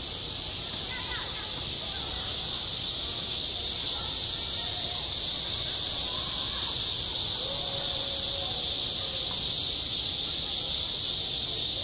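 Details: Summer cicada chorus over a schoolyard, a constant bright buzzing wall of sound that never pauses, swelling slightly at the start; soft distant voices and brief calls murmur underneath.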